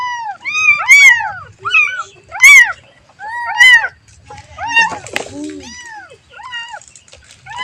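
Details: Kitten calling for its mother: a series of high, arched mews with bright harmonics, about six in quick succession with short gaps, and a brief clatter near the middle.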